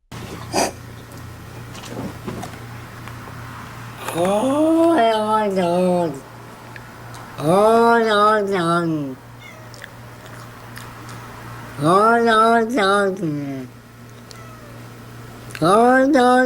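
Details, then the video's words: Domestic cat making 'talking' sounds indoors: four long, wavering, throaty meows, each about two seconds long, spaced roughly four seconds apart, over a steady low electrical hum. "Top 6 talking points cats moment"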